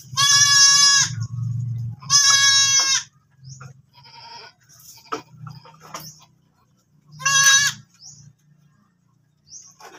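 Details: Goat that has just given birth, bleating loudly in harsh, strained, wavering cries. Two come back to back and a third follows after a pause of several seconds, with faint clicks and a low background hum between them.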